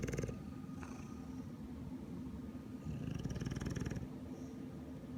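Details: A sleeping English Bulldog with a severely dry nose snores in a low, rapid, rattling rumble, about four pulses a second, with brief louder swells near the start and middle.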